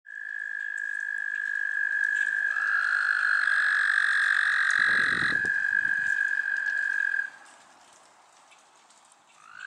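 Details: An American toad (Anaxyrus americanus) in the city of Columbus gives a long, steady, high musical trill lasting about seven seconds.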